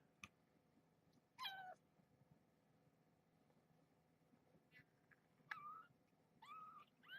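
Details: Domestic kittens with their mother cat in a towel-covered box at bedtime, mama having a snack; short thin mews rise and fall at scattered moments, about four across seven seconds, in a quiet indoor room.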